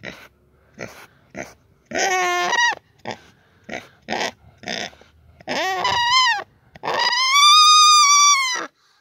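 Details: A male domestic pig (Sus scrofa domesticus) "finding his singing voice" gives short grunting bursts, then drawn-out, wavering squeals that climb and hold a high pitch.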